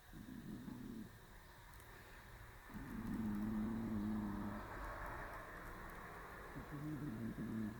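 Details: A cat named Shiro sleeps perched on a round stool in early March. Low buzzy snores rise and fall with each breath, three in a row, over steady traffic-like rumble in the background.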